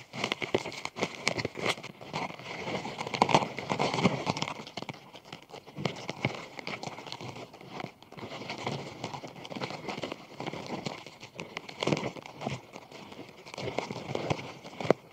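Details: Group of Japanese scarab beetles gathering, linked to mating: dense, irregular scratchy crackles and clicks from crawling bodies, swelling and fading in bursts, over a steady faint high tone, recorded close up.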